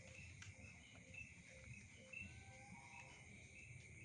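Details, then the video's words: Nighttime insect chorus forming a continuous shrill buzz, with brief pulsed chirps riding on top and a few soft, lower whistled notes beneath, over a low rumbling background. "Efek Suara Serangga di malam hari- Insect Sound Effects to night"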